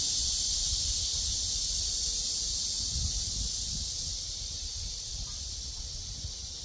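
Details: A steady, hissing cicada drone fills the high register, softening noticeably after about four seconds, with low wind rumble beneath.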